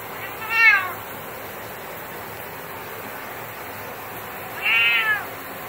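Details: A male cat who hates shower time gives two drawn-out complaining meows, several seconds apart, against continuous running shower water.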